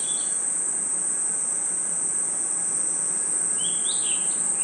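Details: Night-time forest crickets give a constant, piercing high trill without pause, while a faint bird note sounds at the start and a short rising-and-falling bird phrase follows toward the end.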